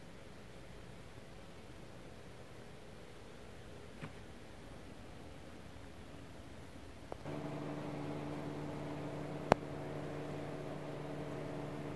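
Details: Quiet indoor hiss, with a steady electrical hum starting partway through and a couple of sharp clicks; no animal voice is heard.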